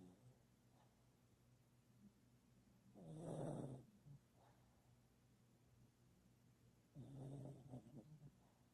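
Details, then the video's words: Sleeping dog snoring: two rough, breathy snores roughly four seconds apart, each lasting under a second, over a steady low hum. "dog snoring"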